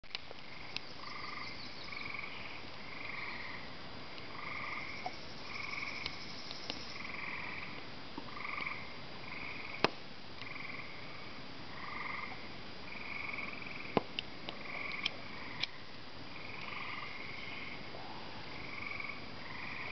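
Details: Tree frogs in Ontario give short, bright chirps, repeated steadily in an overlapping chorus, with occasional sharp crackles from a campfire.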